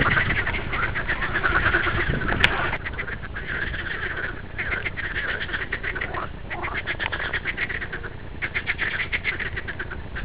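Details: Green frog calling: a dense, steady train of rapid raspy pulses repeated several times a second, in long bursts with brief gaps, over a low rumbling background.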